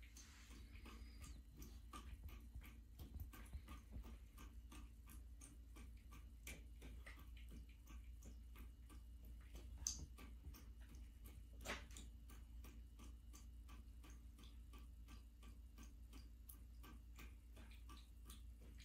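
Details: A black female American Shorthair cat laps water from a running bathtub faucet in quick, soft ticking clicks over a low, steady hum, recorded January 21, 2023, in South Central Pennsylvania.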